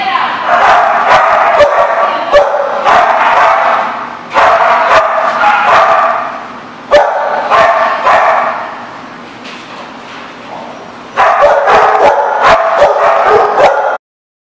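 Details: Dogs barking in bursts, dense overlapping barks and yips in several loud stretches separated by brief quieter gaps, with some speech mixed in.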